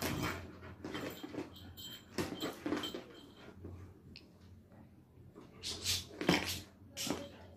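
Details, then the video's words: Angry Labrador Retriever puppy indoors giving short growls and sharp whining yelps in scattered bursts, with rustling and knocking play noises around them. "Angry puppy labrador dog"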